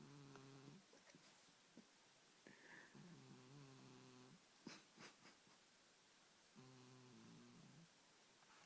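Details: Sleeping domestic cat snoring indoors: three low, buzzy, rumbling snores about four seconds apart, each roughly a second long, with faint clicks and soft room noise between breaths.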